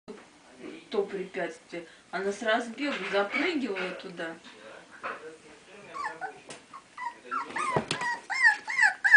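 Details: Four 4-week-old basenji puppies at play give wavering, yodel-like yelps that slide up and down, then rise into thin, high whines.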